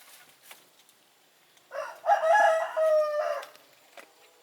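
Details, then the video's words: Goat bleat lasting about a second and a half, a nasal, wavering cry that breaks into two parts, with faint taps and clicks before and after. "Goat Sounds & Goat video, The Sound A Goat Makes"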